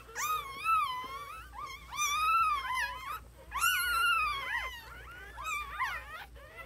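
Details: High, wavering cries from newborn puppies, harmonic-rich whines that swoop up and down in repeated bouts, loudest around the fourth second, with fainter overlapping squeaks between bouts indoors.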